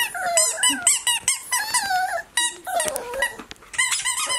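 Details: Tea, a pet Border Terrier puppy between 8 and 12 weeks old, gives a rapid run of high, squeaky whines and yelps, each note sliding up and down, with brief pauses around the middle of the burst.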